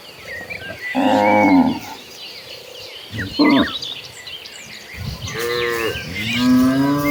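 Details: Hundreds of tame cows on their way to the pasture call in turn: a loud one-second moo, a brief grunt, then two more lowing calls overlapping near the end, with bird chirps throughout.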